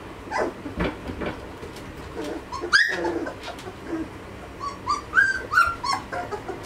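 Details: Young Malinois pups at two and a half weeks, Amyra x Fenris B-litter; a few sharp clicks and knocks, then a high rising squeal and a short series of thin whines near the end.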